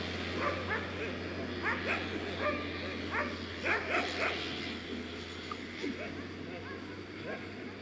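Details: Afghan Hounds at the unofficial "Makkarajuoksut" race in Tampere, the season-closing event on 2 October 2016, giving sharp barks in quick bursts, roughly four per second, with people talking and a steady low hum behind.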